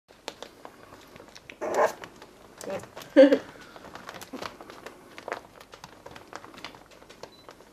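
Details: Nelly's Pembroke Welsh Corgi puppies at 20 days old, indoors in a small room: a few short, thin squeaks and whimpers rise among rustling and scratchy bedding noises.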